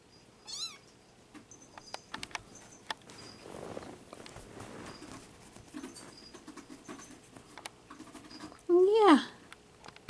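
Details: Five-week-old male Bengal kitten in Madison, Wisconsin, September 2015: mostly quiet rustling and soft taps, a brief high squeak early on, then one short clear meow that rises and falls near the end.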